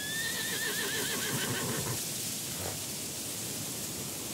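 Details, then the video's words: Wild horse in a mountain setting neighing: a long, high, wavering whinny that trembles and slowly falls over about two seconds, then fades into a steady hiss of soft, cool breeze. "Horse Sounds"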